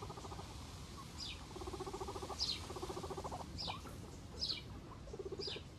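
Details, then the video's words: Guinea pigs heard in short bursts of low, buzzy, pulsed rumbling, repeated several times. Brief high chirps that drop in pitch come through about once a second, over a steady low background hiss. "guinea pigs ASMR"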